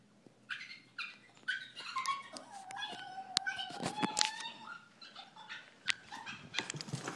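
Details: Female Boston Terrier indoors, upset that her owner is playing with the other Boston and she does not get a turn: high whines and yips, one long steady whine in the middle, rising and falling squeaks around it.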